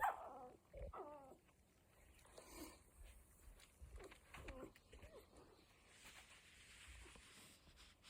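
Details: One-week-old Cocker Spaniel puppies in a litter: a few short, wavering squeaky whimpers at the start, then quieter scattered mewing cries with gaps of near silence and some room noise.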